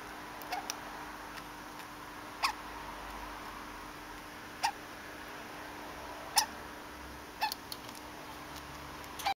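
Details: Conan the degu with hiccups, giving sharp little hic sounds at irregular intervals of one to two seconds, roughly six of them, each a brief click with a tiny squeak, against a constant background hum.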